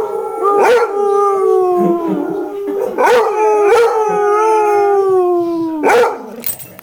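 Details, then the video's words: Pretzel, a pet Basset Hound, howling back at a basset howling in an online recording; three long, slowly falling howls, each starting with a sharp yelp, with a second fainter dog voice underneath. "Basset howling at Basset Video"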